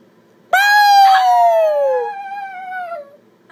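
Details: Chihuahua puppy in a chair sings along to its owner's noise with one long, clear howl that starts abruptly, glides slowly downward for over two seconds, then trails off into a softer falling tail.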